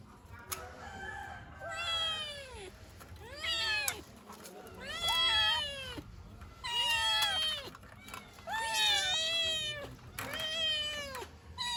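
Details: Kittens wanting their mother, meowing about once every two seconds: arched harmonic cries that rise then fall, some overlapping from different kittens, each lasting under a second, with soft room hiss between.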